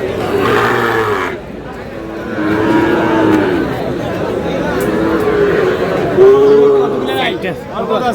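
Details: Sahiwal bull calves at a cattle market in Brahmanbaria on 31 March, with drawn-out, harmonic lowing calls rising and falling, the clearest near the end, under steady crowd chatter and people bargaining over prices.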